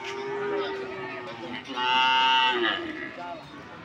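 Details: Cattle at the PO cattle market of Pasar Sokaraja, Banyumas, mooing: a harmonic low call swells into a loud, bright sustained bellow around the middle, then fades into a softer tail with market background noise.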